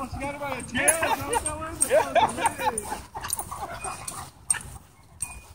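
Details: Wolfdog play fighting with a husky at a dog park, throwing and pinning it; wavering, bending whines and yips rise and fall in pitch over the first two seconds, then fade beneath a woman's voice and rustling.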